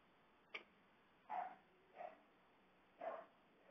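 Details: Siberian Husky crying at its happy reunion with its owner after being left home alone for a week; a faint click, then three short yelping cries roughly a second apart, each a brief rough burst, with a quiet background.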